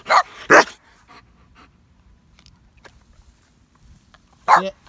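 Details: Barking from a young Boxer puppy named Samson while being trained: two quick, harsh barks in close succession, a long pause filled with soft voices, then one more bark near the end.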